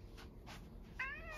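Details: Rescued male house cat in Higashiomi, Shiga, Japan, in spring, coming back from behind the house when called by name. After soft rustling, it gives a short, bright, slightly falling meow at the end.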